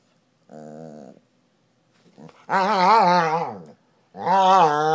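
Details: Dog relaxing on the couch indoors after the day: a soft short grumble, then two louder, longer, rolling growl-moans that rise and fall, separated by brief silences.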